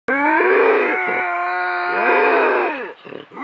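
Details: Two wild bobcats in a violent face-off in the Southern Sierra Nevada mountains: a long, strained, harmonic yowl held steady for nearly three seconds, wavering and dipping in pitch, then breaking into short rough bursts.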